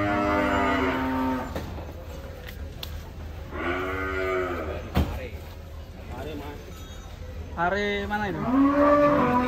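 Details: Giant Pegon cattle being unloaded at a cattle contest in Kediri, 2022, give three loud, drawn-out harmonic moos. Some bend upward, others fall, with brief thumps and handling noise between them.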